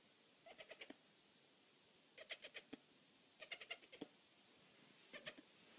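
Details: Disabled Nigerian Dwarf buckling, three days old and born one of quadruplets, calling as he attempts to stand on bent legs; four separate bursts of short, rapidly pulsed, wavering bleats, each of three to five pulses.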